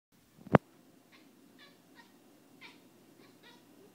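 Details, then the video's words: Domestic cat squeaking and clicking excitedly at a moth on a window indoors: a loud thump opens, then a series of short, soft chattering squeaks spaced about half a second apart. "Cat Squeaks & Clicks"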